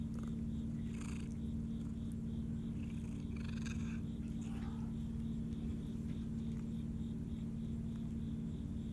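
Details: A female Siamese cat relaxing just after eating purrs in a steady, low rumble of contentment while crickets chirp in the background.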